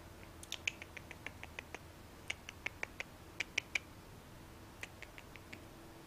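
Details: Lesser bush baby in South Africa, a young one named Bob who fell from his nest and was kept by hand; sharp clicking calls in irregular bursts, about a dozen ticks across six seconds with short pauses.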